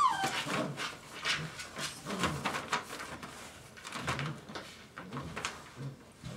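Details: Dogo Argentino puppies, five weeks old, indoors: a single short whimper sliding downward opens, followed by steady scuffling, pattering and scratching of small paws in a small room.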